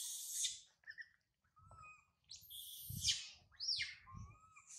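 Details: High in a tree, abandoned infant monkey Sario screams after mother Sarah departs. Raspy shrieks alternate with brief whistled notes, and dull low thumps sound between the cries.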